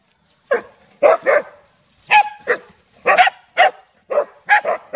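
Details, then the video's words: Loud barking from village dogs Pao and SokYaa, SokYaa being very frightened: rough, clipped barks in ragged clusters of two or three, roughly a dozen in five seconds, over an otherwise quiet background. "Terrify ! SokYaa Feels Very Frighten While Pao & SokYaa Bark Loudly"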